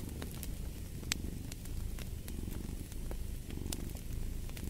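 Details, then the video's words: Low, rough cat purring rumbles under a fireplace, its breathing rhythm softer and less regular, while the fire crackles with sharp pops, one louder snap near the start. "Purring of a Cat"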